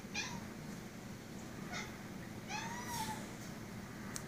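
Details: A two-year-old Siamese cat, talking to a spider on the ceiling, gives a short series of chirping, rising-and-falling meows.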